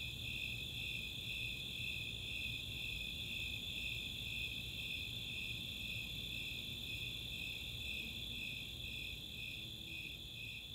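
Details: Nighttime summer chorus at Chautauqua, Boulder, Colorado, where Snowy Tree Crickets pulse high, evenly spaced chirps roughly twice a second while Four-spotted Tree Crickets hold a constant shrill trill; soft low background hum.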